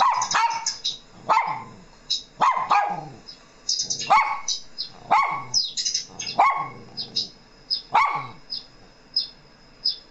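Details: Mona, a pet Shih Tzu and Miniature Pinscher mix, answers played sounds with steady barking, a sharp bark roughly every second, while thin high chirping tones from the playback sound alongside.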